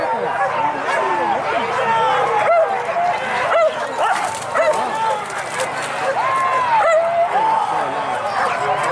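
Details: Pack of hunting dogs pursuing wild boar, Minangkabau region of West Sumatra, Indonesia, with a chorus of overlapping yelps and rising-falling whining barks, steady and crowded, over a constant wash of voices and noise.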